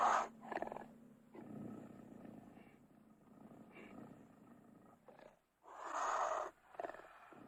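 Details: Cougar giving a sharp opening snarl, then a long low rattling, purr-like growl, followed by a brief silence and a loud raspy snarling burst near the end.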